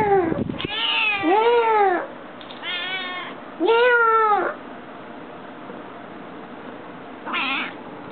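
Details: Pet cat with a habit of frequent meowing; a series of loud arched meows, four in the first five seconds, then a quieter one near the end, with a brief knock at the start.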